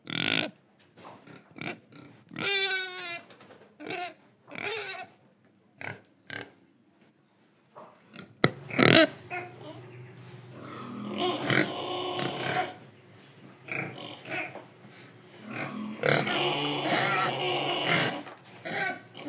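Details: Pig in Indonesia breathing and eating: scattered short grunts and one whining, harmonic squeal early on, then louder continuous rough, noisy squealing and snuffling that fills the second half.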